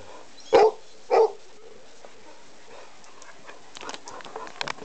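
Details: Dog asking for its meal with two quick, sharp barks close together, followed by quiet room noise and a few light clicks and taps.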